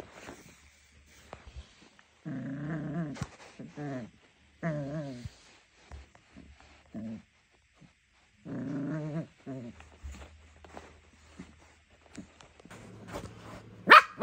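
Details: Playing tug of war with socks, Junior the three-month-old Jack Russell Terrier puppy lets out several short growling bursts separated by quiet gaps, with soft thumps and scuffling between them.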